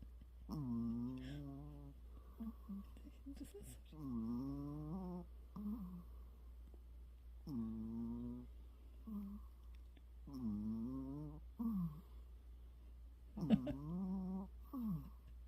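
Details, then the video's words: Pet dog resting its head on its owner's arm like a pillow, making strange noises: drawn-out whiny groans with wavering, bending pitch, repeated roughly every three seconds, with short soft grunts between them in a quiet indoor room. "강아지 팔베개를 해줬더니 이상한 소리를 내요"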